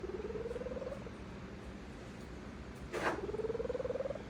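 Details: Contented female cat purring in her sleep: two soft pulsed bouts of about a second each, gently rising in pitch, separated by a quiet pause and a brief click.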